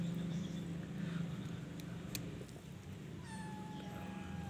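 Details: Persian cat with a litter of four kittens at home; a single drawn-out meow arrives late, a steady tone sliding slightly downward with faint harmonics, over a constant low hum and light background noise.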